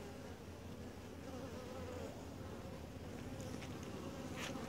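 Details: Steady low drone from a quiet honey bee colony being inspected at the hive, with a faint wavering tone above it. A few sharp clicks from handling come near the end.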